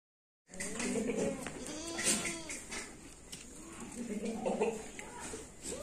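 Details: Jamnapari goat giving two wavering, harmonic bleats, one near the first second and another around four and a half seconds, with a person talking and a steady background hiss throughout.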